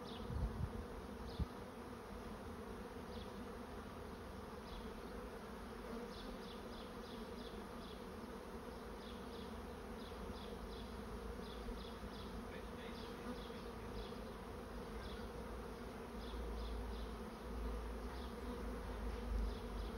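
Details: Honey bee swarm moving into a swarm trap: a dense, steady droning hum with layered low tones throughout, plus faint short high chirps scattered over the background.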